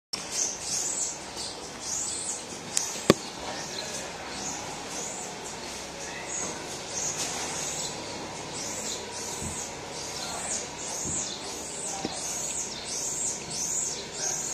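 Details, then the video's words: Baby marmoset crying for its mother: thin, very high squeaks in quick arching bursts, scattered at first, then a steady rapid series of repeated chirps through the second half, over a low background hum with a few sharp clicks. "Baby marmoset cries for mum!"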